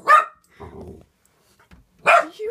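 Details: Norwegian Elkhound and German Spitz Mittel dogs reacting to balloons: one sharp bark, a soft low rumbling sound, then another loud bark about two seconds later, trailing into a brief whine.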